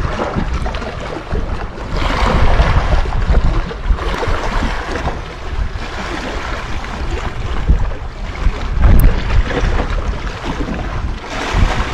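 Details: Strong wind buffeting and water or boat noise fill the recording, loud and low-pitched throughout, with no animal calls heard.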